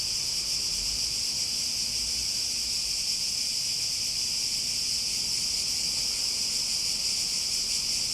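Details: Constant high-pitched cicada buzzing forms an unbroken, shimmering wall of sound for the whole stretch. A quiet low rumble sits beneath it, and there are no other calls.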